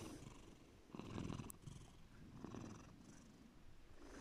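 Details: Low, soft purring from Bear, a pet cat, two brief rumbling swells over a few seconds with a tiny click between them, quieter and less distinct than a full purr.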